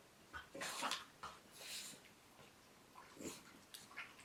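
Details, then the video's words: Dog snoring with her tongue hanging from her mouth, indoors: soft, breathy, hissing snores in slow uneven pulses about every one to two seconds, fairly quiet, with a faint lower rasp on some breaths. "Penny Snores"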